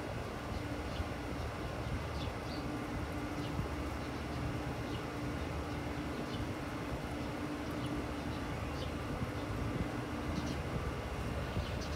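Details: Steady rumble of a passing train or vehicle with a faint hum and no animal calls.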